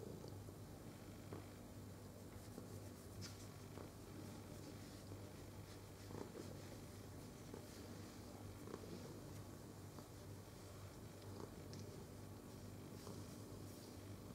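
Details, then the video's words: Domestic cat being stroked, recorded on 22 November 2018, keeps up a continuous low, even purr under soft brushing and rustling noises, with no pauses. "Carezze ASMR al micio"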